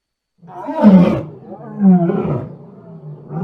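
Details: Lion roaring at close range: a deep, rough, drawn-out roar swelling twice, with a low rumbling tail.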